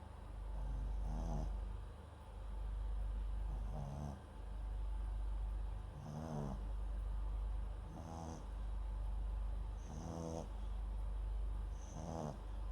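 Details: MAX the Papillon × Japanese Chin mix dozes beside a microphone, giving six gentle, rattling snores at a steady pace of one every two seconds, soft hissing exhales trailing each.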